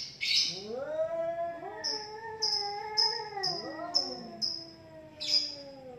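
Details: Two cats in a heated quarrel: an opening hiss, then intertwined yowls swooping up and down in pitch, while a run of short hissy clicks repeats roughly every half second over the drawn-out wailing.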